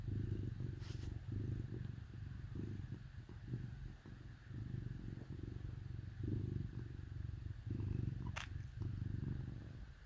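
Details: Cats snuggling with dogs on a cold winter day purr in a low, steady rumble that swells and pauses with each breath, with a brief click near the end.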